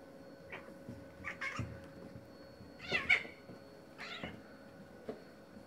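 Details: Tom, a black-and-white male cat, fighting a neighbour's male cat over territory: short harmonic yowls in bursts at about one-second intervals, the loudest a rising wail near the middle, over a steady background hum.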